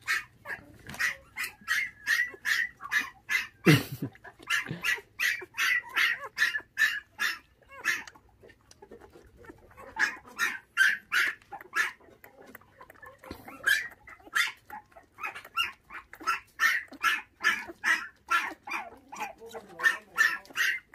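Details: Five bottle-fed puppies, orphaned at six days old when their mother was stolen, keep up a rapid string of sharp, high yips, about two or three a second, with one brief lull partway through.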